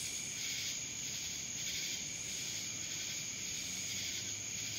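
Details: Cicadas droning in Dallas, Georgia: an unbroken high-pitched hum with rasping pulsed phrases rising and falling roughly every second and a half.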